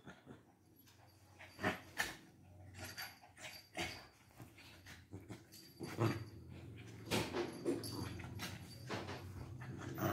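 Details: Lhasa Apsos Bruno and Mars in a fight, giving low, throaty growling that runs through most of the stretch, broken by repeated snappy bursts and scuffling noises.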